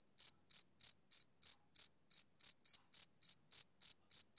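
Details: A male cricket chirps on a summer evening, sharp high trilled pulses coming a little over three per second, regular and unbroken against silence.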